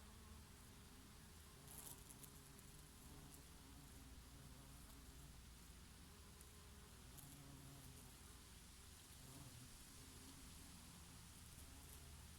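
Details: Bees working oregano flowers in summer, joined now and then by a bumblebee; a quiet, droning hum with shifting low tones, slightly fainter and breezier, steady for the whole stretch.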